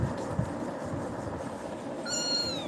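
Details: Pet kitten frightened by Tiger's actions gives one high, drawn-out meow that slides gently downward near the end, after a stretch of low background rumble with no calling.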